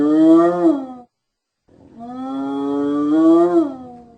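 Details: Hyena giving two drawn-out, harmonic-rich calls: a brief first call, then a short silence and a longer one that holds steady and bends upward before falling away at the end. No other sounds.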